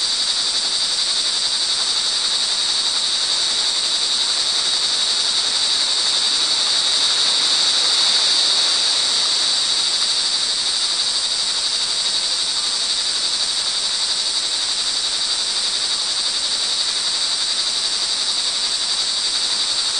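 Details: Montalban, Rizal, Philippines, early evening, June 24, 2011: rain falls as many crickets keep up a continuous high, ringing trill, with a slight swell midway and soft hissing rain beneath.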